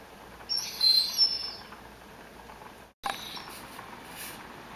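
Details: Tim, a male pet Rhodesian Ridgeback, whines after smelling ground beef cooking. A few thin, high whistled whines come in the first second, then a sharp knock and quiet indoor hiss.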